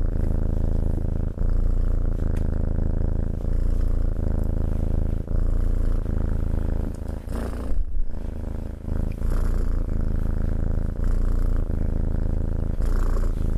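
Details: Domestic cat purring steadily while being petted, a deep continuous low rumble that pulses with each breath, the in-and-out cycles about every second, with faint handling rustles over the top.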